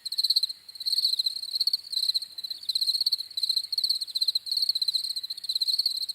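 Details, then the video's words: High-pitched cricket chirps, rapid pulses grouped into short trills separated by small gaps, a continuous insect sound with a faint overtone band above and no other noises. "CRICKETS CHIRPING SOUNDS"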